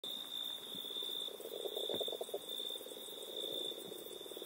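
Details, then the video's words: Small frog calling: a dense, rapid pulsed trill in the low-mid range, repeated in bouts lasting a second or more, with a steady high electronic-like tone running throughout. "Mini frog"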